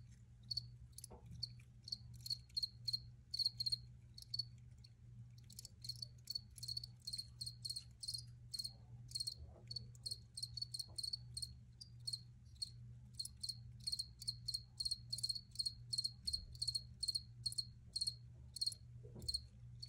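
A cricket chirps steadily in short, high, pulsed bursts, with a low hum underneath.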